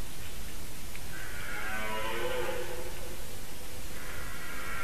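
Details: A red deer stag at the start of the mating season, recorded by a white-tailed eagle webcam in Latvia at 4:50 am on 7 September 2018, gives a single drawn-out, low, groaning roar of about two seconds over a steady deep rumble.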